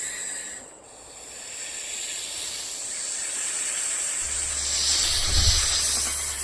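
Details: A rattlesnake keeps up a steady, high, sizzling rattle outdoors, growing slightly louder toward the end. A low rumble joins in the final two seconds.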